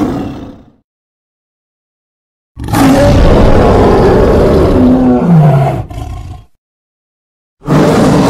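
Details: A wild lion gives a deep, rasping roar that slides downward in pitch before breaking off.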